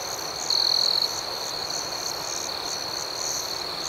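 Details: Crickets at night: a steady high-pitched trill runs under rapid pulsed chirps, about four per second, with one brief louder trill burst early on.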